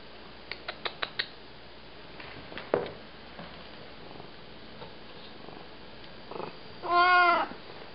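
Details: A male Siamese cat lets out a strong, harmonic, drawn-out meow lasting about half a second, demanding food, apparently tuna. Soft clicks and a person's quiet questioning voice come before it.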